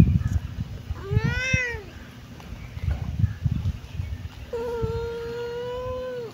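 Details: Kitten meowing twice: a short, bright, arching mew, then after a pause a long, steady meow held for nearly two seconds, against a quiet rustling background.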